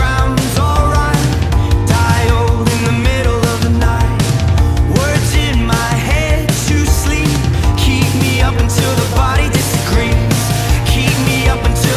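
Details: Loud distorted rock music with heavy drums and guitar plays throughout, with no animal voice heard.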